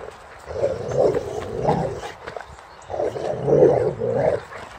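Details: Rex, a Boxer, playing a game against a bucket and keeping a ball clamped in his mouth, gives two long, rough, muffled growl-barks, each about a second and a half, separated by a brief pause.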